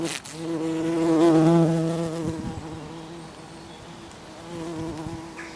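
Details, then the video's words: A bee pollinating a poppy flower: a low, droning wing hum rich in overtones swells to its loudest around one second in, then eases into a steadier, softer buzz that continues to the end. "A bee pollinating Poppy"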